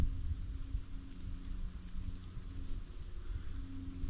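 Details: Low rumbling wind or rain noise with faint rustling; no animal sound is heard. A steady low hum runs underneath throughout.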